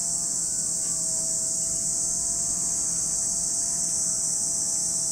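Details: Cicadas singing at Lake Kamo in Sado City, Niigata Prefecture, Japan: a steady, unbroken high-pitched hiss fills the whole stretch, with a faint low hum underneath.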